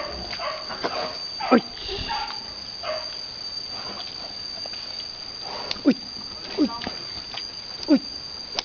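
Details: Pig on a Vietnamese farm, a boar mating a virgin female sow: short, sharply downward-sliding grunting squeals at about 1.5, 5.8, 6.6 and 7.9 seconds, over a steady high hum and rustling background noise.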